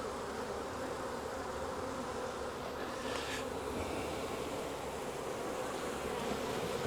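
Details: Wild honey bee swarm, hanging from a tree branch, being caught and moved into a 5-frame nuc box: dense, even, continuous buzzing drone of many bees, unbroken throughout with only a brief faint hiss midway.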